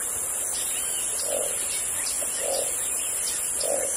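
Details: Frogs in the Amazon jungle give short, soft, hollow low notes roughly every 1.2 seconds, three in a row, under a steady shrill insect drone and faint scattered chirps.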